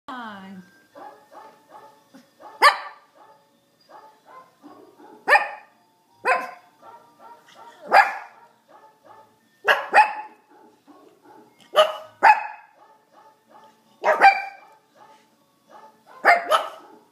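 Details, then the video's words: Brussels Griffon dogs 'trying' to perform together: sharp, bright barks land roughly every two seconds over a steady patter of soft, evenly spaced tonal notes resembling keyboard playing, with faint voices early on. "Brussels Griffon recital"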